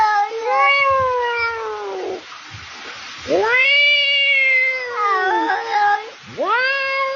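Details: A cat gives three long, drawn-out wailing meows with clear pitch bends: the first sagging slowly downward, the second swelling up then falling, the last rising sharply, with short quiet gaps between.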